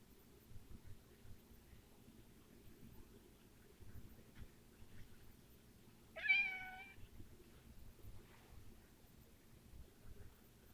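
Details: Single short meow from a domestic cat known for weird sounds, a bright harmonic call about one second long with a wavering start, heard in a quiet room with faint low hum.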